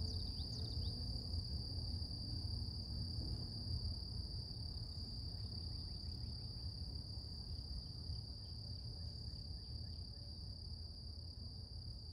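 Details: Cicadas humming in a quiet morning natural setting: an even, piercing high tone sustained throughout, with faint rapid ticking near the middle and a persistent deep background rumble.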